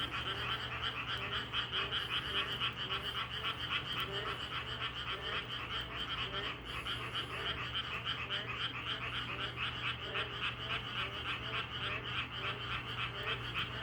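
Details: Many frogs croaking in a natural setting: rapid, rattling pulses repeating several times per second in a dense, unbroken chorus, with deeper, hollow croaks sounding in short regular runs underneath, and a faint steady hum throughout.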